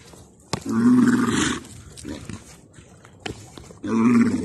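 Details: Wild yaks fighting in Tibet, giving deep, drawn-out grunting calls, each lasting about a second.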